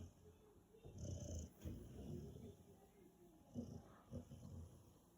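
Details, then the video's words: Sleeping five-month-old Rottweiler puppy giving low, throaty snores in uneven bursts, some breaths carrying a faint whiny tone, with a few sharper snorts near the end. "Snoring Rottweiler"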